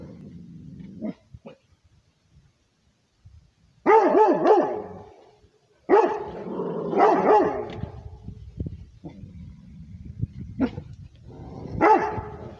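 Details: Rhodesian Ridgeback dog barking to defend its territory: loud, harsh barks come in bursts, first a cluster near four seconds, then a run of overlapping barks mid-clip and a final bark, separated by quieter stretches with low grumbling.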